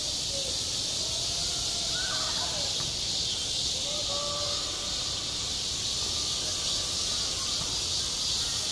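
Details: Continuous shrill cicada chorus on a school playground in high summer, an unbroken hissing buzz held at one level throughout, with a few soft, faint tonal sounds from the background.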